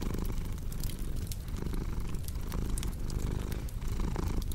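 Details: Cat purring softly and steadily, a dense low vibration, while a fireplace crackles and pops in the background.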